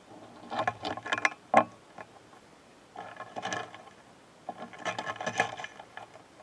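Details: Japanese stag beetles, kept as pets, dueling, with dry scraping, ticking and clattering bursts as hard bodies grind together.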